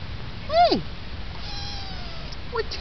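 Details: Rocky, a Munchkin kitten, gives one short meow that rises and then drops steeply. A faint, long, falling tone follows, and a brief chirp comes near the end.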